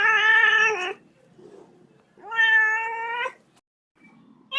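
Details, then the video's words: Little kitten giving two drawn-out meows about a second long each, the second gently rising, strongly harmonic and somewhat plaintive, separated by a short quiet gap. "FUNNY CAT SOUND LITTLE KITTEN MEOWING"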